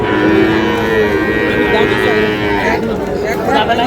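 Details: Sahiwal bull calves at the Ambari cattle market, Manikganj, on 14 August: a drawn-out harmonic moo rises over steady market chatter, with voices of buyers and traders throughout.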